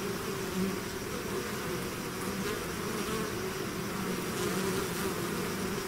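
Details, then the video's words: A bee swarm emerging from the hive fills the air with a steady, dense buzz, individual passing bees briefly rising in pitch over the constant collective hum. "bees therapy swarm natural buzzing sound"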